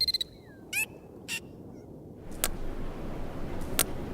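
A dolphin gives a quick falling whistle, then several harsh buzzing pulse bursts over a hissy background.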